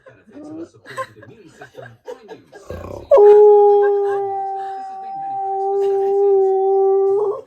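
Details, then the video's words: Male husky singing: after a few seconds of people talking, the dog holds one long, steady, flat howl for about four seconds before it breaks off. "Husky Makes Weird Sounds When He Sings!"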